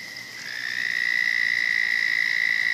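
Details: Pond frog sharing its water with a turtle, giving a high, even, buzzing trill that swells in gradually and then holds unbroken at a constant pitch to the end.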